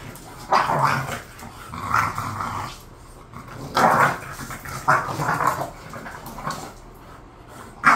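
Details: Pet bulldogs Khan and Ali, a bored pair, give throaty growl-barks in separate bouts roughly once a second, each a rasping, vocal grumble with short quiet gaps between them, and a sharp final yelp.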